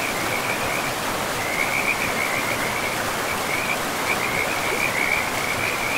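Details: Frogs calling beside a river deep in a pristine, moss-covered forest: a thin, high chirping trill that flickers on and off through the whole stretch, half buried under the steady broad rush of flowing water.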